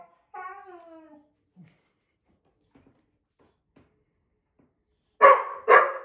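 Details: A white boxer argues with an older black Lab mix indoors over a window seat. A falling, nasal whine opens, followed by soft snuffles, then two loud, harsh barks close together at the end.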